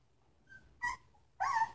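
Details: Three-week-old Samoyed puppies from the Sitka x Izzi litter; two brief whimpering squeals, the second louder and wavering, separated by a short pause against a quiet indoor background.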